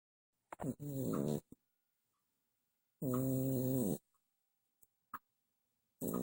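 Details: Ferret snoring while asleep indoors at night: two rough, buzzing snore breaths about a second long, a couple of seconds apart, with brief soft clicks in the quiet between them.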